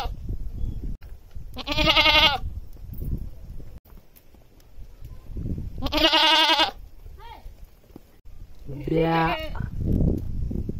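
A goat gives loud, harsh, wavering bleats, several seconds apart, with faint voices in the background.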